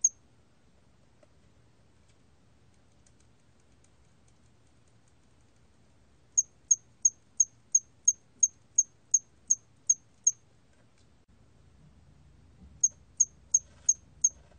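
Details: Cricket, known in Korean as 털귀뚜라미, recorded by the National Institute of Biological Resources in 2020. Eleven sharp, very high chirps come about every third of a second, then a pause, then five more. A faint low hum sits underneath.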